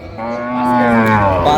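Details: Cow with calf at Raniganj cattle market (haat), Dinajpur, 23 October 2025: a single drawn-out, low harmonic moo lasting over a second, rising slightly then holding steady, with market voices faintly behind.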